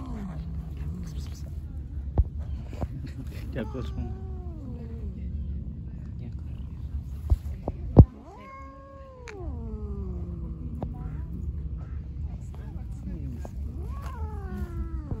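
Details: An angry white cat attacking everyone gives long, drawn-out wavering yowls that rise and sag in pitch, with repeated bouts separated by short pauses, amid sharp clicks and a thud.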